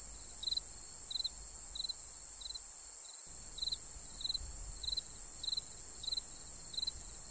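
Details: Crickets chirping at night: short, high, pulsed chirps repeated at a steady pace, about one every 0.6 seconds, over a constant shrill hiss from other night insects.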